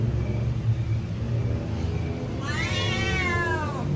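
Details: Hungry house cat meows loudly as it waits for food, a single long arching cry in the second half after a stretch of low rumbling background noise.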